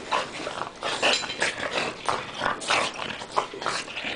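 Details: Dogs grappling in play, with a stream of rough, noisy growls and snorting bursts several times a second amid scuffling.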